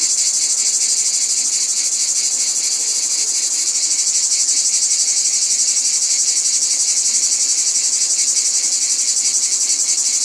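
Cicadas fill the air with a dense, high, shimmering buzz that pulses steadily without pause.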